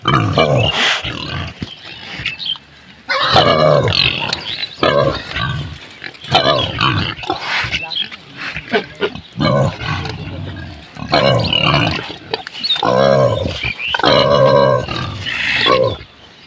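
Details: Pigs on a village farm in Bangladesh give a run of harsh, nasal grunts and squeals in repeated bursts a second or two long, separated by short pauses, with faint human voices in the background.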